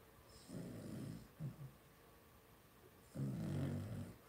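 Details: Two-week-old blenheim Cavalier King Charles Spaniel puppies from a litter of five in an indoor puppy pen, giving low, rough snoring grunts in two longer bursts with a brief snuffle between them.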